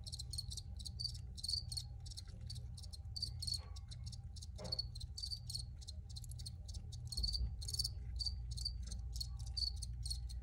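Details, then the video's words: Crickets chirping in a recording made for relaxation, a dense stream of high, rapid pulsed chirps overlapping continuously, with a steady low hum beneath and one brief soft knock midway. "Free Cricket Sounds for Re-Use or Relaxation"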